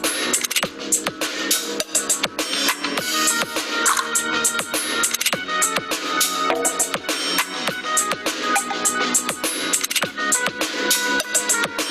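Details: No animal sound is present, only electronic music with a driving drum beat and bright synth tones throughout.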